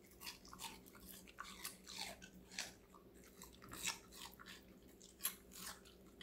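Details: Connie, a five-month-old female Golden Retriever, eating various vegetables: crisp crunching bites repeat in quick bursts, roughly two or three per second, over a faint steady low hum.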